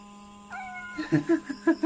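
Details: Hungry cat begging for food: one drawn-out, tonal meow about half a second long, then a quick run of five short, clipped chirping sounds in an uneven rhythm, over a steady electrical hum.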